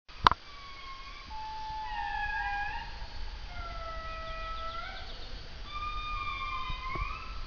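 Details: Several indris sing loudly together in the forest in drawn-out, eerie, siren-like wails that glide and overlap, trading phrases, with a couple of sharp clicks at the start and near the end.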